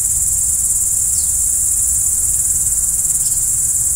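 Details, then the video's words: Steady shrill chorus of crickets after dark, high and unvarying, with two faint downward chirps around the first and third seconds and a muffled low hum beneath. "Stars at Night BLACK B/G - Video & Audio Crickets"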